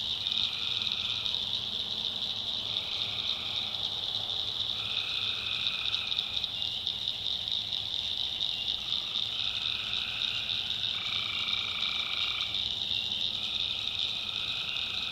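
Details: North Carolina backwoods swamp at night, where tree frogs keep up a continuous piercing trill while lower, rattling drones rise and stop in turn, roughly every two to three seconds.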